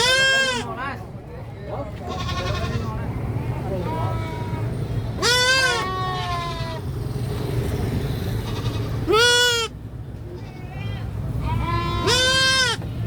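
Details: Damascus goat (Capra hircus), bleat.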